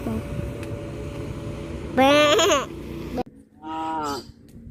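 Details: Cows on a village farm walking back to the barn in the afternoon; two harmonic moos, a loud one near the middle and a shorter, fainter one near the end, over a steady low hum.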